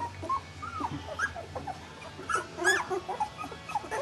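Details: Puppies two weeks old, taking wobbly first steps: thin, wavering whines and short rising squeaks, scattered and overlapping, with a faint low hum beneath.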